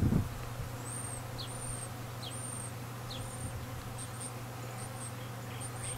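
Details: Open feeding of honey bees, with some bees fighting at the feeder while nights are still cold: a continuous low buzzing drone under a bird's high, thin whistles repeated roughly every second.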